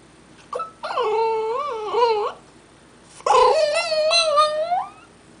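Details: French Bulldog puppy indoors, vocalising while watching a man on the next-door balcony through a window: two drawn-out, wavering, tonal howl-like whines, each bending up and down in pitch, separated by a short pause in a quiet room.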